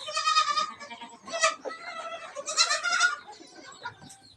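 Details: Hungry goat kids let loose in the morning on a Sangli farm to suckle milk bleat repeatedly: three or four short, harsh, quavering cries spaced over four seconds, with people talking quietly between them.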